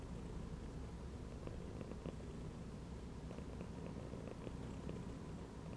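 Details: Cat relaxing curled inside a gym belt, giving a constant deep purr, an even low vibrating drone with occasional faint clicks and small movement noises.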